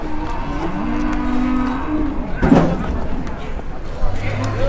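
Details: Two large cattle, newly arrived and out of their pen for the first time, waiting in line for the weighing scale in Indonesia. A low, drawn-out moo rises and then holds steady, under constant rumbling background noise and a brief clatter.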